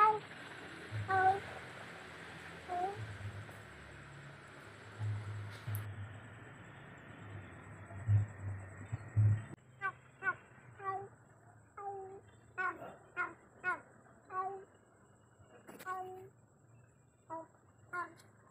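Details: Cat calling for its companion when alone at night: after a stretch of rumbling background noise, a rapid run of short, clipped meows, roughly one every second, then a few more spaced calls near the end.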